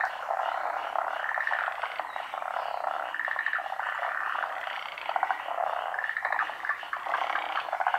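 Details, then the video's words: Pond frog chorus of undetermined species; a steady mass of overlapping croaking, with repeated rattled pulse trains standing out above the constant background din. "カエルの大合唱／Large chorus of frogs"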